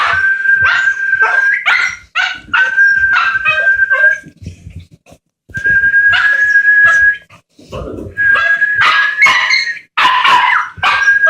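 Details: Jack Russell Terrier puppy howling to whistling, here broken into short yips, whimpers and barks in bursts, with a flat human whistle repeatedly sounding between the puppy's cries and brief silent gaps.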